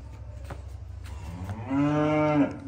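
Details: Calf mooing, a single harmonic-rich moo starting after a second and a half of low background rumble and lasting just under a second, steady in pitch.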